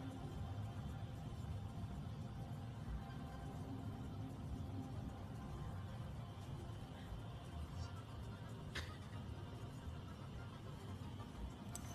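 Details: Steady background music over low traffic rumble, with one brief high swish and no animal voices.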